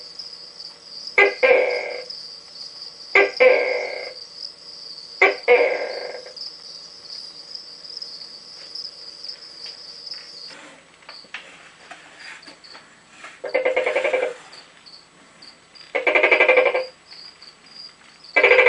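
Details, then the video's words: Rambo, a captive Tokay gecko, gives his first calls of the night from his enclosure and then from inside his tube: repeated two-part barking notes, loud then fading, roughly every two seconds, over a steady high hiss. "Rambo the Tokay Gecko Calling"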